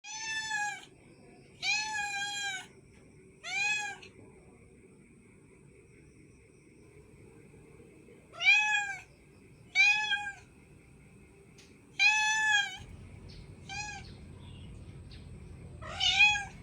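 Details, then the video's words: Cat giving high, thin, repeated meows, about eight short harmonic calls spread irregularly with pauses of up to four seconds between them, over a faint low background hum. "funny cat sound"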